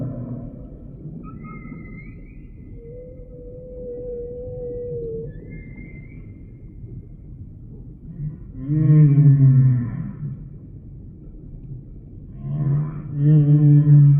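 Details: Humpback whale song sample: a quiet stretch with faint high thin whistles and a steady mid-pitched tone, then two loud, low, groaning moans with rich overtones, each about two seconds long, separated by a pause.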